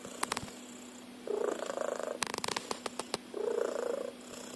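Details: Sleeping cat's loud snore, likened to a car engine: two buzzy, rattling breaths about two seconds apart, separated by sharp clicks and handling noises.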